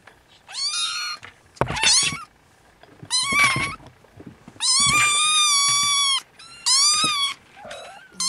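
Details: Siamese kittens beside their napping mother Siamese cat, restless and waking one another: a string of shrill, insistent mews, some brief and rising, others long and level, with soft thumps and rustling between calls.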